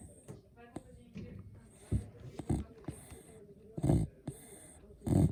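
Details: Sleeping Beagle snoring indoors: low, rough rumbling breaths at an uneven pace, with sharper snorting bursts near the end and faint clicks between them.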